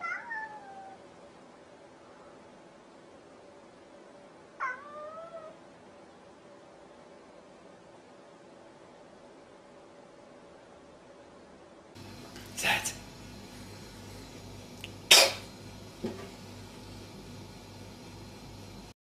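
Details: A cat meows twice early on, two falling mewing calls a few seconds apart, followed by a long quiet stretch and then loud sharp knocks and rustling bursts of handling noise.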